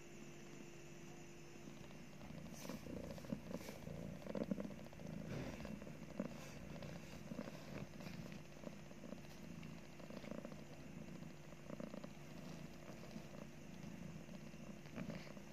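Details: Purring from a mother cat nursing her two newly born kittens; a continuous low rumble with rhythmic pulsing, overlaid by faint rustles and soft tapping sounds indoors.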